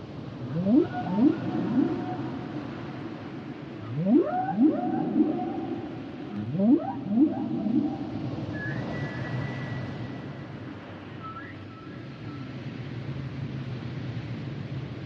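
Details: Humpback whale song phrases: three bursts of stacked rising swoops about every three seconds, followed by long level high-pitched tones, with a continuous low underwater roar beneath.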